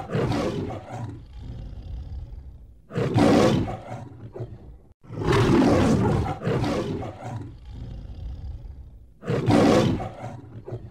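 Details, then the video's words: Lion roaring: deep, rumbling drawn-out roars in four loud bursts, each lasting one to two seconds and separated by quieter breathy grunts, with no other clear sounds. "Compilation of Sounds of Wild Animals: Lion"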